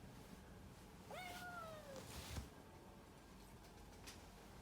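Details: Pet cat Puran utters a single drawn-out meow that opens with a quick upward flick and then slowly falls. It is softer against steady room noise and is followed by a dull thump.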